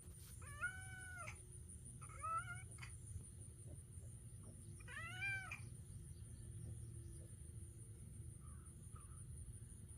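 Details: Domestic cat reacting to a loud noise, giving three clear harmonic meows, each rising then falling, the first long, the next two shorter, spaced about two seconds apart over a steady low hum.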